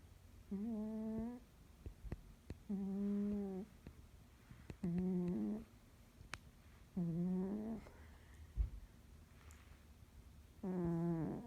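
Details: Snoring dog indoors, each breath a nasal, humming tone lasting under a second, repeated about every two seconds in an even rhythm, with faint clicks and rustles between breaths.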